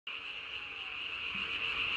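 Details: Japanese tree frog calling at night, recorded 3 May 2020, inflating its vocal sac under the chin to about its body size; a steady, dense, high-pitched trilling drone that starts abruptly and holds unbroken, gradually growing slightly louder.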